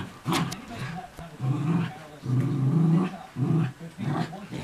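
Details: Two Miniature Schnauzers, one a new puppy home for a week, growl during an early morning game of chase and tug: low, rough growls in several rumbling bursts, with faint television speech behind.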